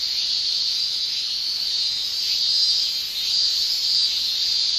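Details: Summer chorus of male Japanese cicadas, tymbal song forming an unbroken high shrilling drone that gently rises and falls in intensity across the clip, with nothing else audible.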